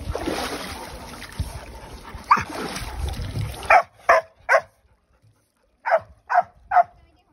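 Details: Old English Sheepdog puppy at a water play area in Shinshiro, Aichi, Japan, barking angrily on its first time in water; splashing and voices at first, then six sharp barks in two groups of three.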